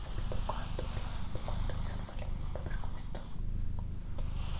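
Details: Low, even purring from Doroti, a female pet cat, recorded indoors for ASMR; the rumble swells and fades in cycles of about a second under quiet whispered speech and light clicks.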